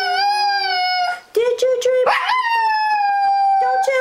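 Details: Dog singing on a bed while having fun with packaging: long sustained tonal howl, steady then gently falling, broken midway by shorter wavering notes, with a person speaking nearby.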